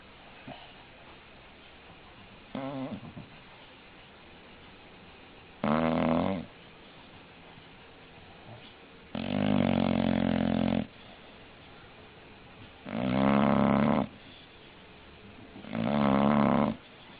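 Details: Pet English bulldog snoring steadily: a faint short snort, then four loud buzzing, rattling snores of about one to one and a half seconds each, repeated every three to four seconds with quiet gaps between.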